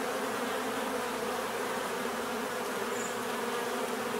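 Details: Bees droning in a thick, level buzz, a continuous low hum from many insects with one faint short high note near the end.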